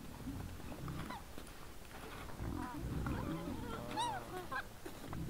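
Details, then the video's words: Several wild boars, recorded at 20:17 on 17 December 2022, mix deep pulsing grunts with short, bright squeals, one sharp rising-falling squeal standing out about four seconds in. "Nice sounds of the Wild boars"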